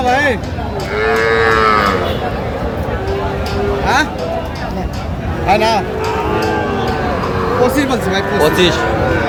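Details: Sahiwal bull and heifer calves at a cattle market at Aftabganj bazaar, Pabna, 18 June 2025, while a farmer buys; several overlapping drawn-out, bending moos, some rising and falling, over constant crowd chatter and market bustle.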